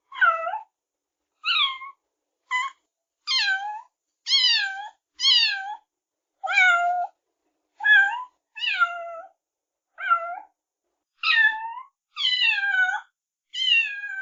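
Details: Kittens meowing: some fourteen quick, high-pitched meows in a fairly steady stream, each brief and downward-sliding, with short gaps and a clean background.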